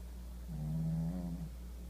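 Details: Sleeping Shih Tzu snoring: a single drawn-out, buzzy, low snore of about one second rising slightly in pitch near its end, over a steady low electrical hum.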